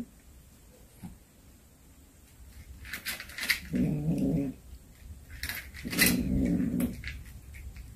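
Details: A cat that brought home a hunted snake gives two deep, throaty growls, each about a second long, with a brief gap between them. Rustling and clattering handling noises come before and around both.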